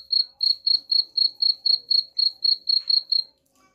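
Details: Cricket sound used against rats: a run of crisp high chirps at about four per second, ending abruptly into quiet just before the close.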